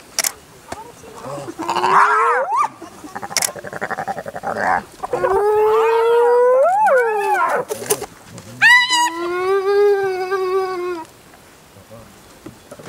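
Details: Spotted hyenas of one clan, an adult relentlessly attacking a young hyena; loud rising and falling whooping squeals with rich harmonics, several drawn-out tonal cries between harsher bursts, ending in quieter background.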